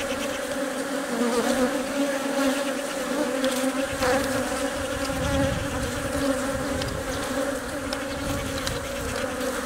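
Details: Honey bee hive with the queen laying eggs amid attending workers that protect and feed her; an even, unbroken buzz of stacked humming tones, with a brief louder flutter midway.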